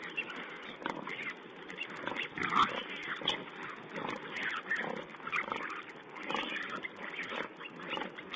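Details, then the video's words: Wild boar piglets feeding, filmed by a wildlife camera in April 2010; dense overlapping grunts and squeals with sharp clicks, a busy low-fidelity soundscape throughout. "Wild Pig Cam2: Piglet's feeding."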